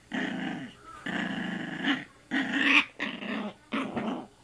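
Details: Young female puppy playing with a person's arm, giving harsh rasping growls in four bursts of under a second, with brief gaps and a higher-pitched edge on the third.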